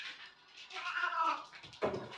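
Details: Female Maine Coon indoors during her zoomies, a crazy few minutes that happen for the fourth time that day; one drawn-out wavering meow rises and falls, followed by a shorter, harsher call.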